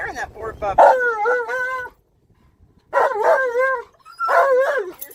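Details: Tonka, an Alaskan Malamute riding in a car around a park and losing his mind with excitement, lets out long, loud, wobbling woo-woo howls in three drawn-out bursts separated by silent pauses.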